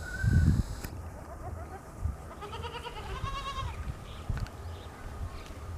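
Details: Morning scene of a goat kid drinking milk: a soft, wavering, harmonic bleat rises and falls midway over low rumbling and muffled thumps.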